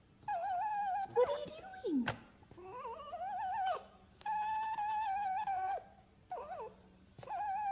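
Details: A fox gives long, wavering, tonal whines that rise and fall with short breaks, sounds described as foxes crying and laughing.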